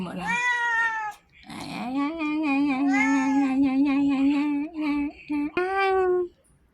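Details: Indoor cat climbing onto an air conditioner, giving long drawn-out harmonic meows, one short then a sustained wavering wail of about four seconds, ending with two brief mews and a final rising meow.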